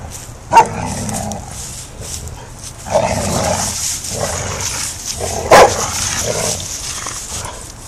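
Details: English Mastiff Rufus, five months old, playing in a backyard with his three-year-old sister Chica: three short, rough barks and growls about two and a half seconds apart, with a steady hiss of background noise throughout.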